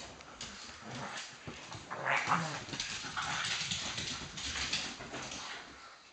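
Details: Two pugs at play over a sofa, one taking the high ground and the other getting very cross. Continuous rough, breathy snorting and grumbling noise, louder around the middle, with a muffled low rumble underneath.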